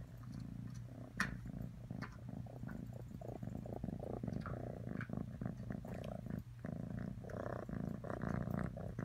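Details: Atreyu the cat purring in a small room, a steady low rumble with pulsed bursts rising and falling as it breathes in and out, broken by a few faint clicks.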